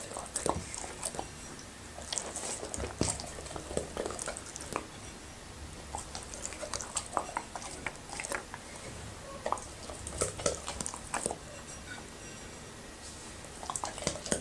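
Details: Happy, a Labrador retriever, chewing okra and raw meat in a small room; steady run of moist crackling bites and squelchy chews, dense bursts around two, eight and ten seconds, with quiet gaps between.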